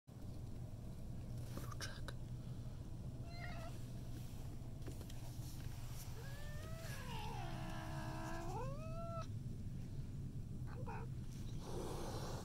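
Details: Domestic cat hissing on meeting a new cat: a drawn-out, wavering, harmonic yowl bending up and down over about three seconds, with short breathy hiss bursts before and after, over a steady low background hum.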